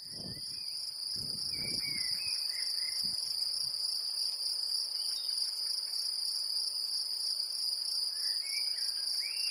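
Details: Great green bush-cricket in Brittany, France: a steady, high, shrill insect buzz runs unbroken throughout with a faint rapid pulse, while soft bird chirps come and go and a few low thumps sound in the first three seconds.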